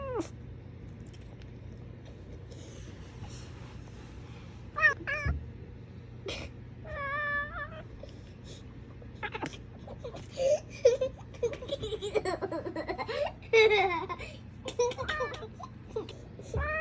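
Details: A Savannah cat chirps and chatters at birds in quick, rising bursts, with warbling trills mixed in.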